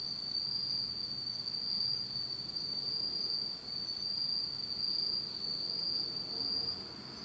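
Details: A steady, high-pitched insect trill fills a pitch-dark autumn night in Japan, droning without pause at one pitch and easing slightly in strength near the end.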